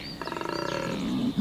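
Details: A large collared male koala at Cape Otway, at the start of the spring breeding season, gives a deep, rasping bellow of rapid pulses, a mating call.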